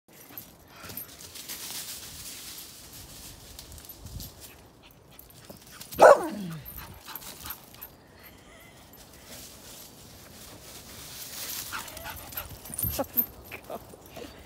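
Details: A very happy, excited English bull terrier, one of several, gives one sharp, falling yelp amid quiet snuffling and movement.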